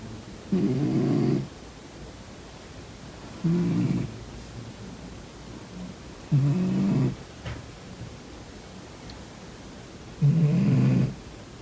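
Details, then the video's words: Sleeping domestic cat snoring: four low, rough breaths roughly every three seconds, each about a second long, with quiet pauses between and a faint background hiss. "코 골면서 자는 고양이 콧구멍 막아보기😺 코고는 고양이 Snoring cat"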